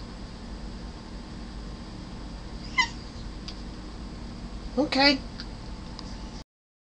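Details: Male domestic cat asking to be let out: two short meows, a brief one and then a longer one with a rising start, over a steady background hiss.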